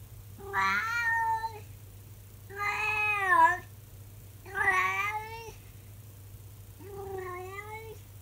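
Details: Calico cat, 24 years old, giving her daily morning howl at 6 in the morning indoors: four long drawn-out wailing meows, each about a second, with slightly rising and falling tone and a steady low hum beneath.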